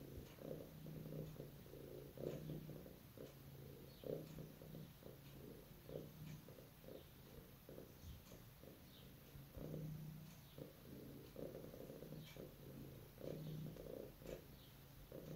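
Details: Dreaming cat asleep indoors, purring in rhythmic rasping pulses on each inhale and exhale, with occasional small nasal squeaks, over faint background hum.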